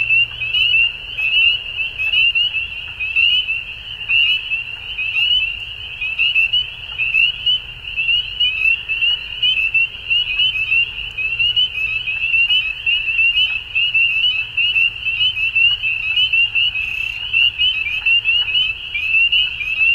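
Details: Frogs at dusk forming a dense, unbroken chorus of high, rapid trills. Many overlapping callers hold one shrill band throughout, with a low rumble underneath.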